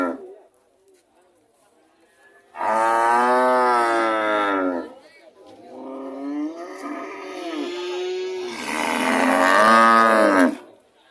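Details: Cows giving loud drawn-out moos: a two-second harmonic bellow, a softer wavering call, then a rising louder moo of about two seconds.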